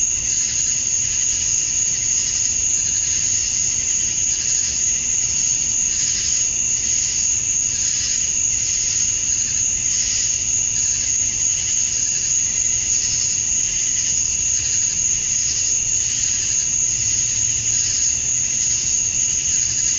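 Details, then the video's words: Male cicadas chirping to attract females at dusk on a summer night in Georgia, USA: a dense, unbroken high-pitched buzzing drone with a steady shrill whine on top and a soft, quick pulsing running through it. "Cicadas at Dusk, Summer Night"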